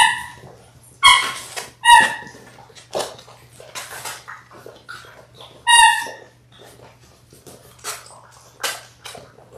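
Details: Six-week-old Labrador Retriever puppies, from a litter of six born January 18, 2022, on a live puppy cam on February 28, give high harmonic whimpers and short yips at irregular intervals over a low steady hum.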